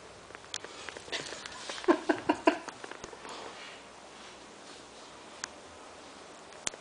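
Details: Milton, an 11-week-old Cavalier King Charles Spaniel puppy, guards a newly found snack from others. Mid-clip comes a tight burst of short, low harmonic growl-yelps, then sniffing, soft patter and scattered clicks.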